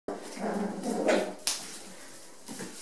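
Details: Rat Terrier puppies just over five weeks old, playing indoors in a bathroom on a wet, cold day; short rough yips and scuffling bursts, a sharp click near the middle, in a small echoing room.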